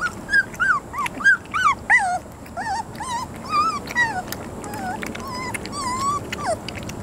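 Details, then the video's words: Three-week-old puppies from a litter named Beretta/Jericho, giving a run of high, wavering whimpers and squeals that rise and fall, overlapping one another at an uneven pace of about one and a half calls a second. "Puppy Mush! Beretta/Jericho 3-Weeks"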